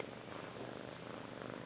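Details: Chance, a seven-month-old Siamese kitten up for adoption through Austin Siamese Rescue, purring loudly indoors: a dense, steady rumbling throb with rapid, even pulses and no breaks.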